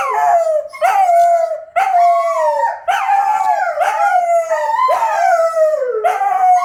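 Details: Wolfdogs Lupo and Kano howl together at midnight, rich layered tones that repeatedly swoop upward and ease down into held notes, with short sharp yelps breaking in between the long howls.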